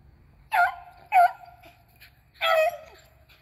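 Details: Hunting beagles chasing squirrels, April 21, 2020, three dogs named Athena, Zeus and River; three loud, ringing yelps within a few seconds, the last one longer and drawn out.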